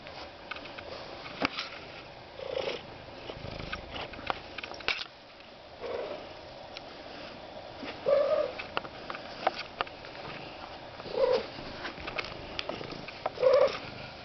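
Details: Goemon Shinobi, a recently rescued one-eyed domestic cat, making silly noises: five short, chirping trills spaced a few seconds apart amid quiet indoor rustling and soft thumps.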